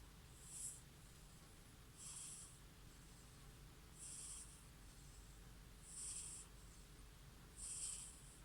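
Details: Silver tabby cat from Amakusa, Kumamoto, a survivor of the April 14, 2016 Kumamoto earthquake with a rare pom-pom bobtail, snoring while asleep: soft breathy hissing puffs that recur about every two seconds over a quiet indoor background.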